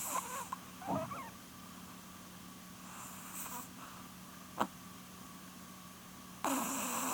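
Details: Sleeping female Chihuahua Porun, close to twelve years old, gives raspy snores about every three seconds, with a brief sharp click midway and a constant faint low hum underneath.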